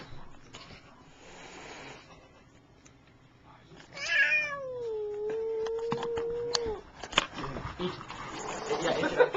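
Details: Angry cat with flattened ears, filmed indoors, gives a single long sustained meow that starts high and levels into a steady drawn-out wail lasting about three seconds; people talk and shuffle around it.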